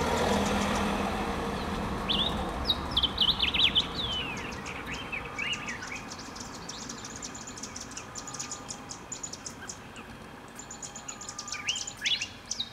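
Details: Dwarf mongooses in Kruger National Park give quick, high chirps and twittering peeps over a running vehicle engine.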